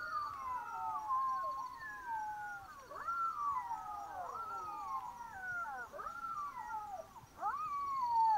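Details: Several black-backed jackals wailing together at night in Botswana, long drawn-out falling howls overlapping, broken by sharp upward yelps around every two seconds, over a faint background insect trill.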